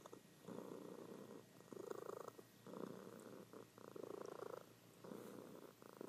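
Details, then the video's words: Sleeping pet cat, female, giving a loud continuous purr pulsed by breathing, bursts of about a second each with short dips between, indoors and otherwise quiet. "Sleeping Cat Purring"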